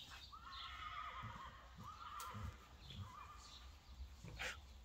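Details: Friesian mare, kept among a herd of Friesian horses, on the day of her insemination: three wavering, quavering whinnies in about five seconds, each a tremulous held tone, over a low rumbling background with faint thuds.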